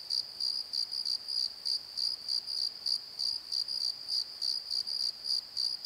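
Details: Cricket calling after dark in a valley bottom, sharp high chirps repeating regularly about three times per second with a fainter upper harmonic, little else audible.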